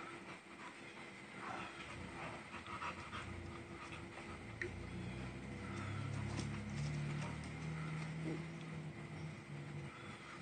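A young pit bull–bloodhound mix lets out deep, wavering moans that swell in the middle of the clip. Quick breathy panting and snuffling run underneath, over a steady background hiss.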